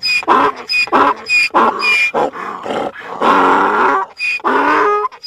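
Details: Donkey bray with squeaky high whistled inhalations alternating with coarse, lower harmonic exhalations, a steady seesawing hee-haw rhythm ending in longer groaning notes.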